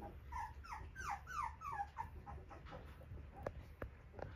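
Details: Young male Cockapoo with a yellow-green ribbon, a friendly, lively puppy from a breeder, whimpering in a quick series of about six falling, whiny cries within two seconds, then quieter breathy sounds and faint clicks.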